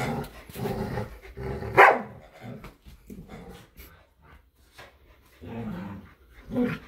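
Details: Play fight between a Samoyed and a Keeshond, Luma and Zuko, over a squeaky hedgehog toy outdoors. Rough growling barks come in rapid bursts, with one sharp, loud yelp near the middle.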